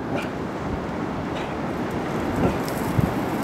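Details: Steady wind buffeting the microphone with a low rumble and a few faint knocks, and no animal voice heard.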